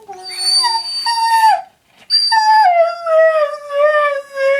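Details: Female pet dog Miranda howling indoors in response to the sister's name being called: two long, tonal, rich-harmonic howls, the first steady then bending down, the second sliding down and holding a level wavering tone.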